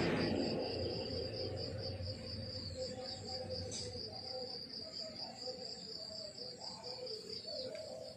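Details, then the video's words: Morning countryside crickets give a continuous high-pitched pulsing chirp, evenly spaced at almost four beats per second, over quiet background with a few faint clicks and soft low noise. "The beautiful sound of crickets chirping in the countryside in the morning"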